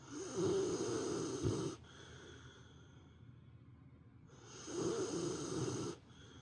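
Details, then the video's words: Sleeping female dog at nap time, snoring like an old man; two long harsh snores on the in-breath, separated by a quiet pause of about two and a half seconds. "犬のいびき～Dog snoring～"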